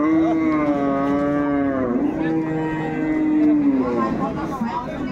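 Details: Dairy cattle at Ambari livestock market, where improved-breed milking cows, calves and pregnant cows are traded on 21 May 2024; one long, steady, tonal moo with a rich harmonic stack lasts about four seconds, dipping slightly midway before fading.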